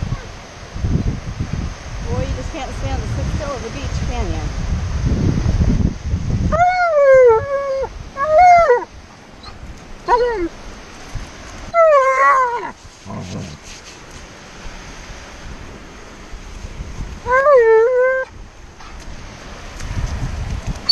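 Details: Made to sit still at the beach, Tonka the Alaskan Malamute voices his impatience in a string of wavering, bending howl-whines, some drawn out and some clipped. A person speaks briefly before the howls begin, with surf rumbling behind.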